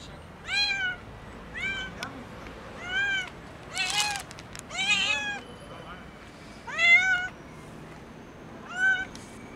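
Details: Thin kitten meowing loudly from hunger, about seven clear, rising-then-falling meows roughly every second or so, each strongly layered with overtones, plus a short burst of rustling noise midway.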